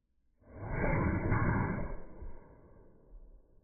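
A cocker spaniel's sneeze, slowed down into a long, deep, breathy whoosh.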